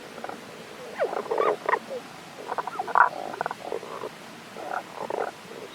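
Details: Tago's brown frog at a stream in the Kanto region of Japan, 1 April 2021, out of sight; scattered short croaking notes in small clusters with quiet gaps between, over faint background hiss.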